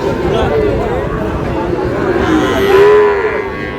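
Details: Sahiwal bull calf, about ten months old, at a cattle market in Cox's Bazar, Bangladesh, giving a drawn-out, wavering low moo that swells near the end, with market chatter and crowd noise underneath.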